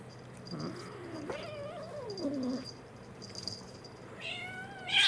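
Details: Pet kittens romping together indoors, an American Shorthair and a Munchkin born April 2021; low drawn-out mewing wavers and slides down, then a sharp high squeak cuts in at the very end.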